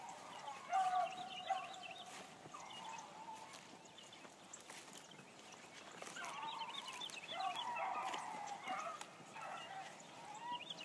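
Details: First morning run of a new Blackcreek gyp hound: a long, steady howled note opens, then faint distant baying builds into a louder cluster of chop barks later on, all over a hissing outdoor background.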